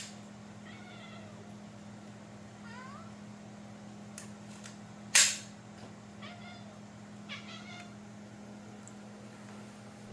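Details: Kitty making funny noises indoors: scattered short chirping meows and quick trills spaced a few seconds apart, a sharp loud knock midway, steady low hum behind.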